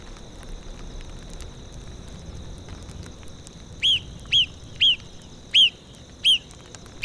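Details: In a tundra soundscape with rushing wind and chirping crickets, a marmot gives five sharp, high whistles about half a second apart, each a brief arched chirp, over a faint steady high hum.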